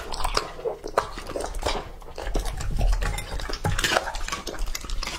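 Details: Lucky, a two-and-a-half-year-old male English Labrador Retriever, eating raw meat indoors, recorded ASMR-style; wet chewing and biting mixed with clattering of a bowl or dish, with irregular bursts of louder crunching throughout.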